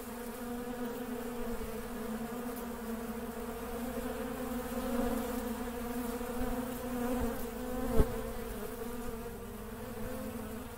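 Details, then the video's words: Honey bees working together make an unbroken droning buzz, slightly swelling midway, with one sharp click toward the end. "RONZIO DELL' APE | BUZZING BEES"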